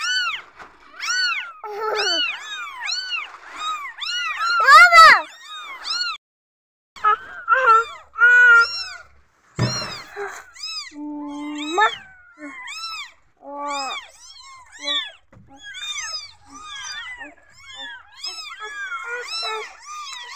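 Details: Insecure newborn kittens calling, dense overlapping chorus of high arched mews, a brief pause then more cries including a few flat sustained tones, continuing rapidly to the end.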